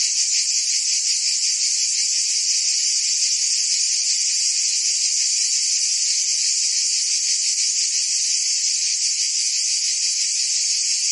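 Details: In Provence, France, summer cicadas keep up a relentless sizzling buzz. Rapid pulses run through a thick wall of high sound that never drops in volume, with no other noises.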